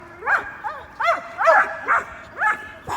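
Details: Domestic dogs, big and little, barking in the morning: the big dogs at a squirrel, the little dog at the big dogs. High yappy barks with rising-falling pitch, about two per second, overlapping voices.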